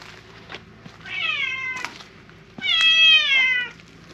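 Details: Silver tabby cat loudly appealing for something in a park: two long harmonic meows, the first slightly falling, the second louder and drawn out over a second, with faint clicks and a low background hum.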